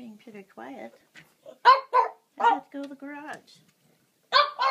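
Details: Pet dog Pixie at dinner time, earlier than normal, indoors: short, sharp barks and a brief rising whine come in bursts between a person's calm talking to the dogs.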